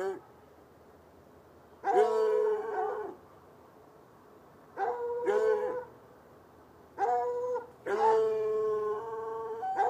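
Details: At night, two hounds chained outside in a bushy lot by an irrigation ditch bay from about 10 yards away: four separate long, ringing barks spaced by several seconds of quiet, the last one stretched and wavering.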